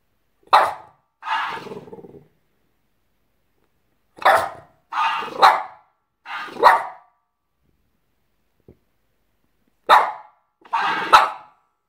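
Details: Pepsi, a pet French Bulldog, talks back to a talking hamster with short sharp barks in irregular bursts, some doubled, separated by silent gaps of a second or more, with a brief low growl after the second bark.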